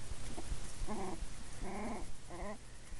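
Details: Male puppy making his first barks: short harmonic yelps repeated in a rough rhythm, about three bursts across three seconds, over a steady hiss of background noise.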